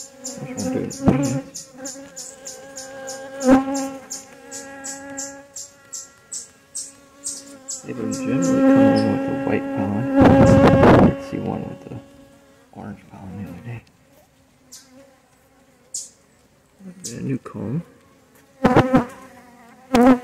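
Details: Honey bees in a relocated hive, opened for inspection on a cool morning while clustering thick. Bursts of low buzzing come and go, loudest midway, between brief handling noises and a steady series of high rhythmic chirps.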